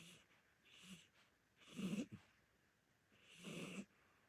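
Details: Snoring from a sleeping old orange Korean shorthair cat: two loud raspy snores with a low buzzing throat rattle, separated by faint soft breaths, in a quiet indoor setting.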